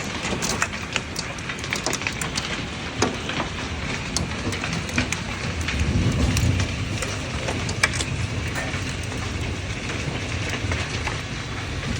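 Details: Steady heavy rain pattering on a surface, with dense crackling drops throughout and a deeper rumbling swell around the middle, with no animal voice.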